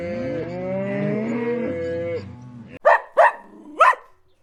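A cow lets out one long, low, drawn-out moo lasting nearly three seconds, then three short, sharp barks follow.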